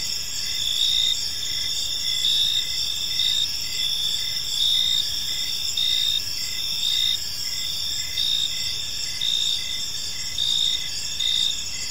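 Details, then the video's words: Many crickets chirping together in a park at evening, a constant high-pitched ringing chorus with regularly spaced short pulses of a lower chirp, background hum faint and steady. "Park Serenade: Cricket Sounds in a Peaceful Park"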